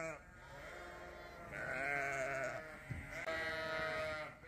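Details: New Suffolk lambs on a farm meet Buddy, the barn cat, for the first time. A sustained, wavering bleat is followed by a second drawn-out cry, with a faint background murmur.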